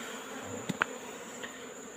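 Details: Wild Asian honey bee colony in a rock hole, disturbed while its combs are taken out in the afternoon; a soft, even droning hum broken by two sharp clicks or taps.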